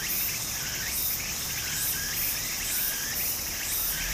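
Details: High, rhythmic cicada buzzing in summer next to a flowing stream in Japan, pulsing about three times every two seconds over a dense shrill drone, with short rising chirps and soft water murmur.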